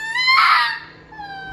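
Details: Charlie, a vocally expressive pet red fox, screams indoors while annoyed; a harmonic-rich scream swells loudly then fades into a thinner drawn-out whine, in a small room.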